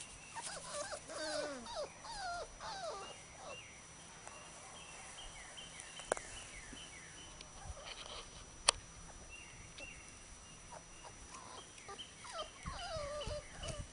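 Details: Several Labrador Retriever puppies at play on a field give thin, wavering whines and bent squeals during the first three seconds. Quiet rustling follows, broken by one sharp click, before faint whimpers return at the end.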